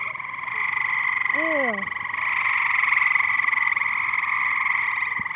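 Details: Dense chorus of many frogs in a backyard pool, a continuous loud pulsing buzz that swells in the middle; a brief descending, wavering voice-like sweep cuts in near the start.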